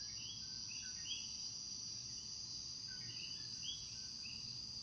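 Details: At nightfall in Puerto Rico, several common coquís give short two-note 'co-kee' calls, each rising from a low note to a higher chirp, over a steady insect hum.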